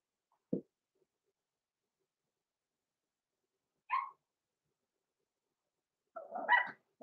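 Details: Six-week-old blenheim Cavalier King Charles Spaniel puppies, Roman and Blue, from a small litter born November 14, 2022, in a home puppy pen. A soft thump, then two brief, isolated high yips separated by long silences.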